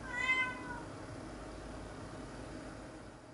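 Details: Nora, a cat adjusting to life as a fully indoor cat, gives one short harmonic meow that arches up and down, followed by quiet indoor room noise.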